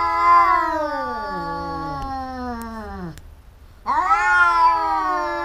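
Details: Fighting domestic cats, a quarrelsome pair: one long loud yowl gliding steadily downward for three seconds, a short quiet gap, then a sharp rising howl starts again.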